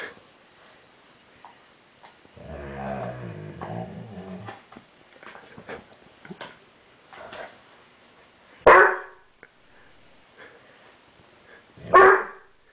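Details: Seven months old and puzzled by a mirror, the dog Banks gives a low rumbling growl lasting about two seconds, some soft shuffling, then two loud sharp barks a few seconds apart, indoors.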